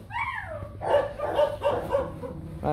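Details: A young male Rottweiler, the kennel stud Nano Gervi bred by Gervi, begins with a high whine that falls away, then gives four or five clipped, evenly spaced yips, with faint voices behind.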